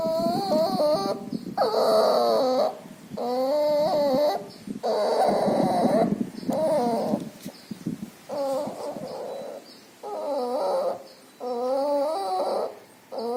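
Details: Noisy breathing of a puppy ill with pneumonia and distemper, nasal discharge present: uneven series of whining, harmonic breath sounds, some long and rough, others short, about nine across thirteen seconds, with faint constant high hiss.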